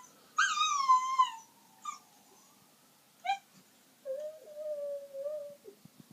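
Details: Miniature Schnauzer howling at an ambulance: a short descending howl, then brief yelps, a quieter level drawn-out tone, and faint soft sounds at the end in a small room.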